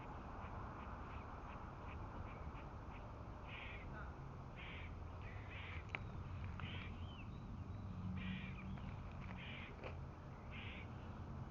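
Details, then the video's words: With two cats close by, squirrels give predator warning calls: short, harsh bursts repeated roughly every half second to second, above constant low rumbling noise. "Squirrels making warning sounds for predators"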